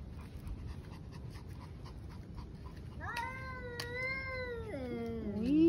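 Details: Roadside stray cat wailing in the evening while another cat is present: three seconds of quiet background noise, then a loud drawn-out yowl that holds steady before bending downward into a lower, moaning tail.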